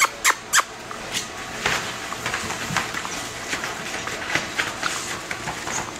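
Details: Bulldog puppies from one litter, five and a half weeks old, playing and fighting: two sharp, loud yelps right at the start, then scuffling, scratching and faint squeaky whimpers scattered through the rest.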